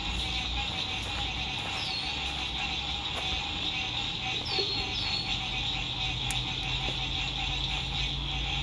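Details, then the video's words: Lakeside frog song at sunset, recorded while RV camping in spring 2021 in good weather: a continuous high buzzing chorus, a few quick downward chirps, one sharp click, and faint traffic rumble beneath. "Sunset Frog Songs"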